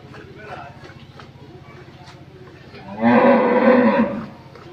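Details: Moo from a second-calving Friesian cross cow kept on a dairy farm in Pabna, Bangladesh, mother of a heifer calf: after low murmuring background, a full, strongly harmonic bellow swells and holds for just over a second before fading.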